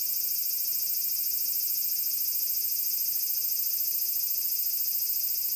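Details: Large brown cicada singing on Tanegashima, at Magarikawa in Furuta, Nishinoomote, Japan, on 30 July 2022 in summer: a steady, sizzling high buzz with a fast, even pulse of about three beats per second that never breaks.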